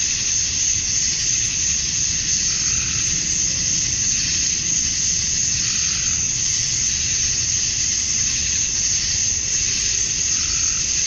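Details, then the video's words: Summer-night cicada chorus at dusk in Georgia, USA, males calling to attract females: a continuous shrill buzzing drone with slow swells in brightness every few seconds and a faint low background hum. "Cicadas at Dusk, Summer Night"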